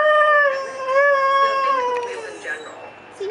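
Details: Pet greyhound 'talking' with a sustained, wavering moan that rises and falls gently, then fades and trails downward over about three seconds. There is no other clear sound.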